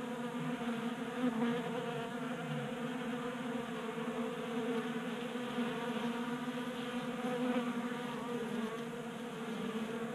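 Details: Many honey bees feasting at a 3D printed feeder on a workbench in Colorado in January, kept active by unusual warmth; constant overlapping humming buzz, slightly swelling and fading as bees move about.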